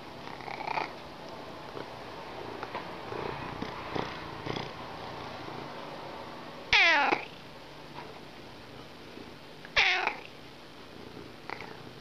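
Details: Dreaming cat giving two short, harmonic, downward-sliding meow-like calls at about seven and ten seconds, with soft, fainter murmurs and rustles between them indoors.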